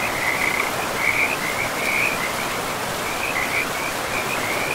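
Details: Frogs by a forest river give a string of short trilled call bursts, several per second in clusters with brief gaps, ringing out clearly above the steady hiss of running water.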